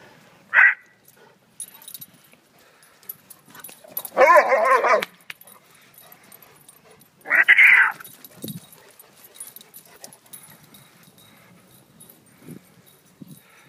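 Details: Great Dane puppies at play give sharp high yips and two longer, louder barks spaced a few seconds apart, with a low grunt after; a person speaks just afterward.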